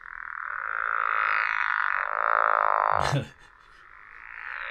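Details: Pickerel frog call played back through a speaker, a long steady rattling snore-like drone lasting about three seconds before being cut off by a burst of noise, then the droning resumes softly.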